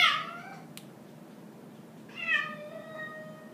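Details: Two tense meows from Cosmo, a grey and white pet cat that hates a roaming orange tabby: a sharp loud opening cry, then after a pause a longer whining meow that trails off, with one click between.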